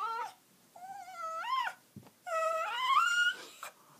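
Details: A dog 'talking': two drawn-out, whining moans that rise and fall in pitch. The second is longer and climbs higher before dropping away. The two are separated by a brief click, with quiet between them.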